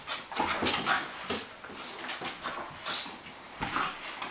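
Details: Two dogs at play, Bonzo a Cairn Terrier and Pippi a Flat-coated Retriever, trade quick hoarse grunts and panting huffs, several bursts per second, with a faint whine or two in a small room.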